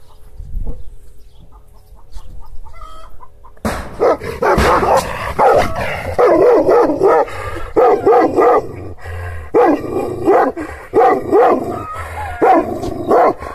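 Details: Kangal shepherd dog (Aksaray Malaklı type) in Anatolia, Turkey, angrily barking at unfamiliar strangers while guarding its owner's property; a quiet opening gives way after four seconds to loud, harsh barks in uneven bursts, sometimes overlapping.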